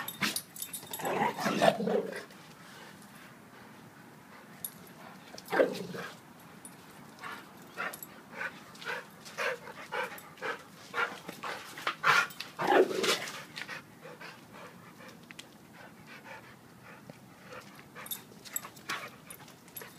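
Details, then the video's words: Two pet dogs play wrestling, Duke, a 7-year-old blue/red pitbull, and Lucy, a 7-month-old German Shepherd; short rough growling bursts near 1.5, 5.5 and 12.5 seconds, with scuffling and quieter huffs between. "Pitbull vs. German Shepherd wrestling match"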